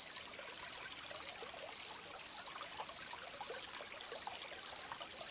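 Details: Crickets chirping beside a trickling stream: short, high, steady-pitched pulsed chirps repeated roughly every half second, about ten in a row, over a constant bubbling water hiss.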